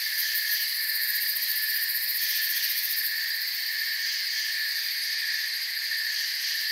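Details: Forest crickets fill the air with an unbroken, shrill chorus, several high pitches stacked together and pulsing slightly, with no other clear sounds.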